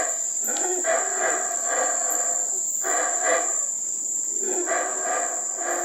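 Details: Wild howler monkeys near the Belize River at Teakettle, Belize, giving deep, throaty roars that swell and fade in repeated waves, over a constant high-pitched insect drone.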